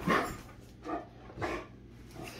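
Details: Great Dane named Rhapsody playing with another Great Dane, The Heartbreaker, in rough mouthy play; three short growly vocal bursts spaced about half a second apart, with a steady low hum underneath.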